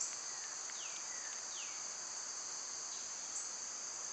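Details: Summer cicada chorus: an unbroken high, even-pitched buzzing hum, overlaid by a few falling whistled bird notes in the first half.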